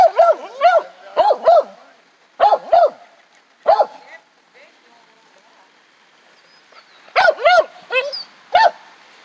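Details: Baxter, a Jack Russell Beagle, outdoors on his first time on a dog run, gives bursts of sharp yipping barks in pairs and clusters with pauses between, alongside a person calling to the dog.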